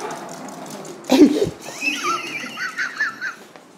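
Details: Leon, a small pet Chihuahua, indoors after grabbing a take-out plate of food and running off: a bump, then a wavering high whine-like growl rising and falling in short bursts.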